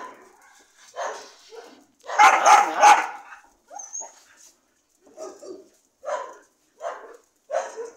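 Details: Loud, harsh dog barks form a strong burst of three near the middle, followed by quieter single yips spaced about a second apart, with silence between calls.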